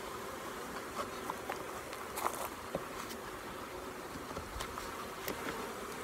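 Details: Honey bees during queen rearing, with attendant workers placed alongside a queen cell as its protector is removed. A soft, even hum persists throughout, broken by repeated sharp clicks and taps from handling equipment.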